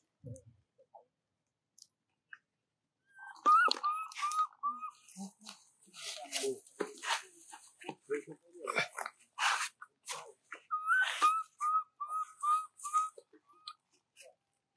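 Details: Baby monkey Jovi, in Rainbow's care, cries for her mother Joyce until falling asleep: two bouts of short, high, tonal notes, each with a quick upward flick, repeated rapidly in strings, over crunching and rustling sounds.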